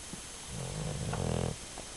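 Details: Sleeping dog giving a single low, rough snore of about one second, slightly rising then fading, against faint indoor background hum.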